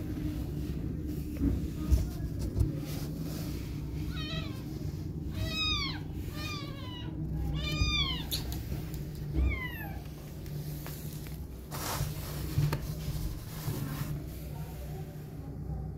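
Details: Mother cat with her newborn kittens, cuddling, nursing them with milk and protecting them. About seven thin, high mews arch up and down in a quick run through the middle seconds, over a steady low hum and faint rustling.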